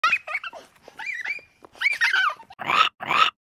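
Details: A young goat (kid) bleats in quick, wavering, nasal cries, ending with two harsher, rougher bleats.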